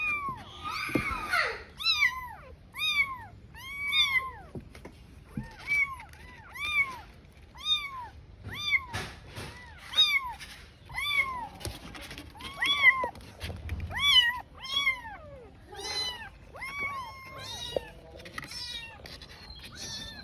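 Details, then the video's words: Lone kitten calling desperately for its mother, giving a long run of high, arched meows repeated about once a second, each rising then falling, with occasional soft rustling between calls. "A Kitten Crying While Searching for Its Mother"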